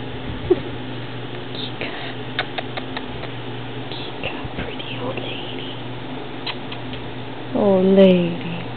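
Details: An old female Siamese cat named Kika, recorded in 2010, gives one drawn-out harmonic meow near the end that rises and then falls. Soft clicks and taps come before it.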